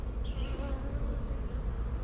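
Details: Honey bees at an opened hive during one of a beekeeper's first inspections in an apiary, a dense low droning hum of a very busy colony, with a few higher faint tones drifting above.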